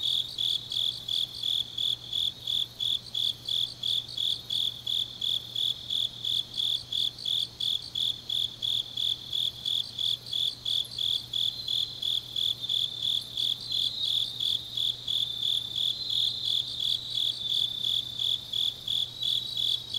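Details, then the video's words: Deep autumn night in Changnyeong, South Gyeongsang, South Korea, filled with grass insect song: high, pulsing chirps repeating nearly three times a second, blending with a steady shrill ringing; a faint low hum in the background. "깊은밤 가을 풀벌레 소리"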